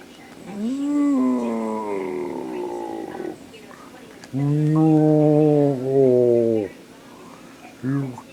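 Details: During fetch play, a 10-week-old Beagle puppy lets out a rising then slowly falling howl, followed by deeper, rough, growling bursts of about two seconds each and a short final yowl.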